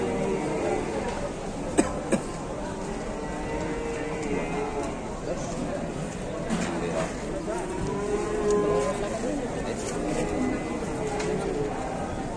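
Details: A huge fattened cow from Indonesian livestock keeping gives drawn-out, low harmonic moos, most clearly near four and nine seconds. A steady murmur of human voices and general crowd noise runs underneath.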